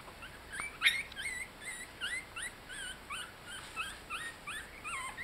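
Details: Young Yorkshire Terrier puppies at 18 days, toddling and cuddling as they learn to walk, make a steady string of shrill, wavering squeaks, each bending up and down in pitch, with one sharper yelp near the start.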